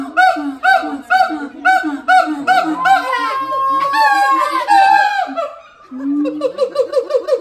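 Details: Siamang at the Los Angeles Zoo calling: deep booming notes alternate with sharper, higher barks in a quick repeated rhythm, building into long rising, sliding whoops midway before the barking series resumes.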